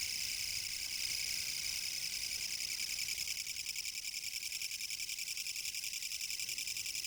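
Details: Autumn 2014 recording from Japan of a kutsuwamushi katydid: dense, grating buzz with rapid regular pulsing, unbroken for the whole stretch, slightly fading toward the end, a faint distant hum underneath.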